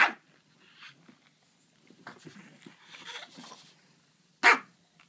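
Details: A French bulldog and a griffon at play indoors in a small room; one sharp bark opens, then soft grumbles and scuffling, then another sharp bark near the end.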